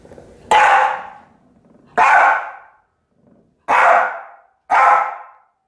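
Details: Ripley the dog barks while chasing and playing with a cat toy indoors: four loud, sharp barks spaced roughly one to one and a half seconds apart, with brief silences between and nothing else clearly heard.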